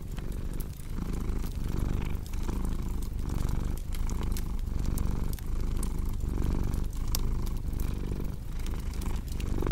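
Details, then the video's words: Cat's deep, continuous purr pulses with each breath roughly every 0.7 seconds, mixed with sharp snaps and crackles from a fireplace. "Purring Cat with Cozy Crackling Fireplace Sound"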